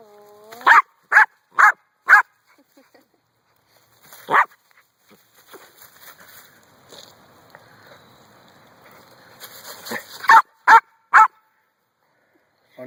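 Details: Brandy, a dog barking at a rock: a burst of four rapid barks, one more bark after a pause, several seconds of quiet murmuring and rustle, then three quick barks to close.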